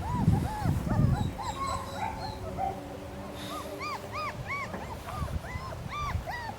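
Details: A litter of three-week-old German Shepherd pups whimpering: repeated rising-falling squeals, clearer and higher toward the end, with soft thuds and shuffling early on.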